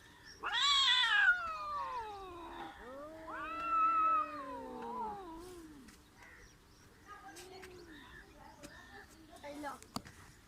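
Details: Two cats in a village confrontation: a loud shrill screaming yowl opens, followed by long descending moaning wails, then softer low growls and scattered clicks as the standoff quiets.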